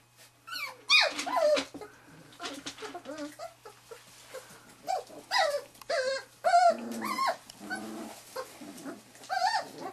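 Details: Wirehaired Pointing Griffon puppies, three and a half weeks old, from the 2013 "E" litter at Bluestem Kennels, getting their first bird scent. They give a busy run of high, wavering whines and squeals, several overlapping in irregular bursts.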